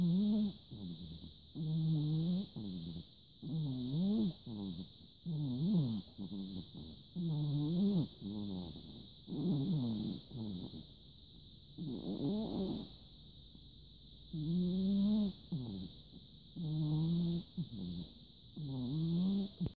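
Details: Big orange cat Nana-san asleep on 14 December 2017, snoring steadily: low, nasal, buzzy breaths repeating roughly every two seconds, some swelling louder and wavering in pitch, over a constant high-pitched electrical whine.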